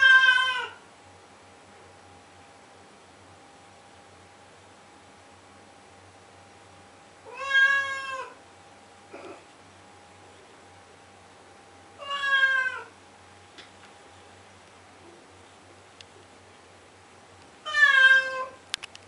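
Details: Blue point Siamese cat crying indoors at 2am to get its owner to open the door, basement under renovation; four long, harmonic wailing meows, each rising then falling, spaced about five seconds apart in a quiet room.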